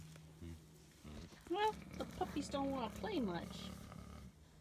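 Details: German Shepherd puppies almost 9 weeks old, born December 15, 2016, playing outside in Florida on Valentine's Day, February 14, 2017; a burst of short, high, whiny yelps that bend up and down for about two seconds over a low steady hum.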